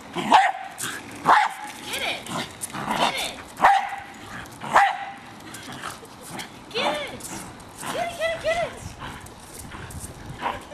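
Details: Hali, a Jack Russell Terrier, barks sharply at a remote-controlled car she is attacking; several quick barks in the first five seconds, then human voices and speech take over.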